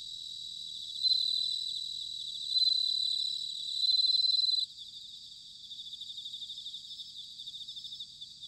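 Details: Autumn bell cricket song from Sanuki in Chiba, Japan: three loud, bright ringing trills of about a second each stand out against a fainter chorus of other crickets, which carries on as a softer pulsing shimmer.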